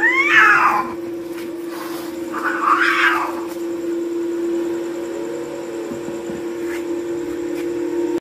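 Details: Two cats clash on a wall at night near a courtyard, letting out two harsh, screeching bursts a few seconds apart, then quieter faint wailing beneath a steady hum.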